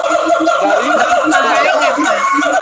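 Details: A siamang at Ragunan zoo gives loud, wavering, warbling calls that rise and fall in a steady stream.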